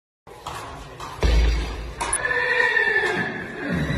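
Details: Arab-Barb horse neighing: after a dull thump, a high, drawn-out whinny with a wavering, slowly falling tone lasts about a second and a half over steady background noise.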